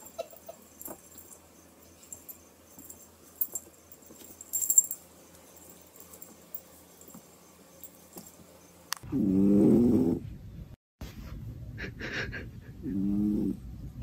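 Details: Cat from a funny cat compilation; after a long quiet stretch of faint clicks and rustles, two low, wavering, drawn-out yowls sound near the end, the first lasting over a second, the second shorter.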